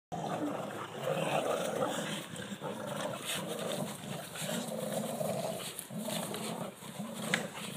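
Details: Pet dogs Elly and Bandit growling during a game of tug of war while Major watches from Bandit's side; continuous low, rumbling growls with wavering pitch run almost unbroken through the clip, rising and easing in short pulses.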